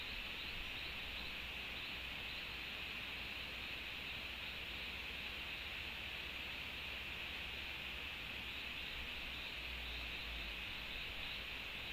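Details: Only a steady hiss of broadband background noise is heard, with no clear animal calls.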